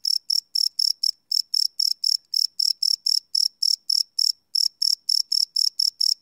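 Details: Night-time cricket song captured live without loops: high, even chirps in a steady train of roughly four per second, broken by a couple of short gaps, over a silent background.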